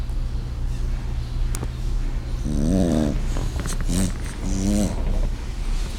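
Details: A French bulldog, seemingly glum, snores ever louder, with low rumbling breaths and wavering, whining tones.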